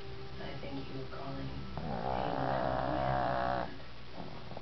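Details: Tank, a pet dog deep in an afternoon nap, lets out one sustained, buzzing, harmonic snore lasting nearly two seconds, while a television voice talks quietly behind.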